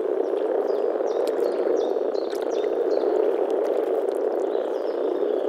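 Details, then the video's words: Spring frog chorus from a Czech pond or wetland, a steady low rolling croak with no pauses, while thin high whistles and chirps from birds flick across the background. "European frog calls"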